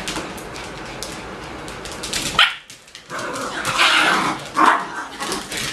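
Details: Young Bichon Frisé puppies, litters O and P, give short high yips and whimpering barks in a few separate bursts, with a brief quiet gap before a louder cluster of cries.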